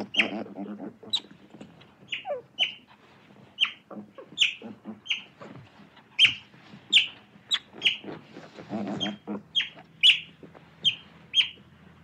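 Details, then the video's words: Piercing otter chirps, short and high, come in a steady run over twelve seconds, with bursts of lower, grating chatter near the start and again toward the end. "Otter sound"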